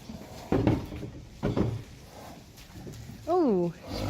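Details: Friesian horse from a herd gathered for a Christmas party, giving a brief whinny of under half a second that falls in pitch with a slight waver. It follows two short bursts of Dutch speech.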